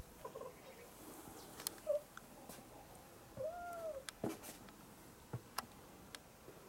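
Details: Jaba, a domestic cat, perched on a high, tiny place, gives a brief soft mew followed by a longer arched, slightly falling meow, with scattered clicks and tapping in a quiet indoor background.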